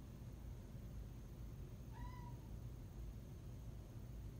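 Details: Single clear meow from a house cat in a recently moved-into apartment, heard at night while its owner tries to sleep. The meow is level and slightly wavering, about half a second long, over a quiet indoor hum.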